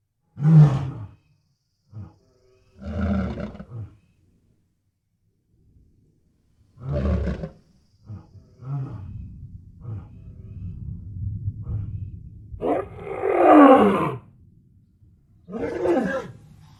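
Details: Lion in its natural habitat giving scattered deep, gruff bursts, some single and some drawn-out, with a louder, harsher, higher-pitched snarl near the end and irregular quiet gaps between the calls.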